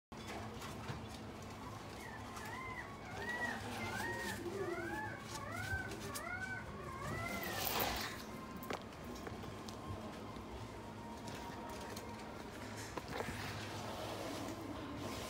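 A Miniature Dachshund gives a quick run of high, arching whimpers, each note rising then falling.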